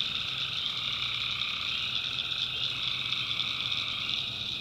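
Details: Many tree frogs calling together at night in North Carolina backwoods, a constant shrill trilling chorus with a lower steady hum beneath it.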